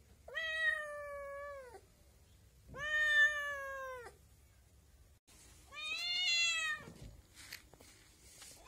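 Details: Kitten giving three drawn-out meows, each about a second and a half long, steady and slightly falling in pitch with rich harmonics, spaced a couple of seconds apart in a quiet indoor setting.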